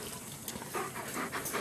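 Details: German Shepherd Dog panting close by, on a Labor Day outing in Florida with 8-week-old puppies on their first time outside, their grandfather and mother. Quick breathy rhythmic huffs, with faint bird chirps and a person's voice nearby.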